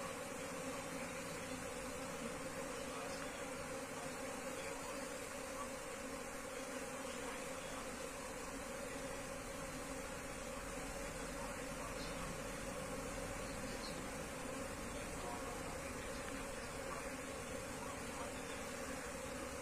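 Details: Asian honey bees from a wild colony during transfer into a cultivation box, producing a continuous massed buzz, an even drone with a constant mid tone and faint background rumble.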